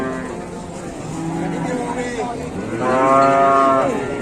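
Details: Indonesian cattle, described as raging fighting bulls, with a low moo building into a loud, sustained bellow around the third second that ends in a falling slide.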